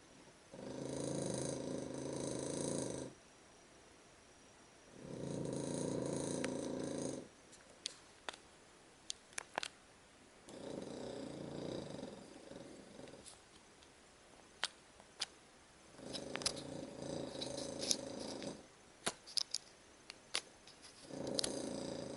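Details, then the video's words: Sleeping dog snoring loudly indoors: long rasping breaths of about two to three seconds each, broad and harmonic, separated by quiet gaps, with sharp clicks and taps between them. "Snoring dog"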